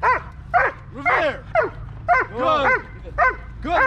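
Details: During protection training, a dog works the blind against a helper on February 19, 2023, giving a steady run of about eight forceful barks, roughly two per second, each short and harsh, over a low background hum.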